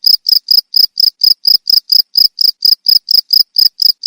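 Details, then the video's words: Cricket, played as a sound meant to drive away rats, giving loud, high, pure chirps in a steady train of about four per second, each a short buzzy pulse, with no other sounds. "SUARA JANGKRIK PENGUSIR TIKUS"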